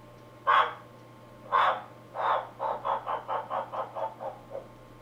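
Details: Captive male giant waxy monkey frog (Phyllomedusa bicolor) calling to attract a female, recorded indoors in London with a computer microphone: three broad clucking notes, then a quick series of about eight shorter, fading pulses, over a steady low electrical hum.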